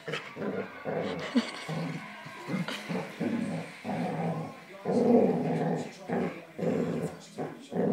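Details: Labrador attacking an Old English Sheepdog puppy, low rough growls in repeated bursts of about half a second, with short pauses between them and faint voices in the background.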